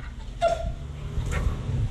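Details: Hungry Chow Chow begging for food indoors: one short, thin whine flattening out near the start, then a fainter cry later, over a steady low hum.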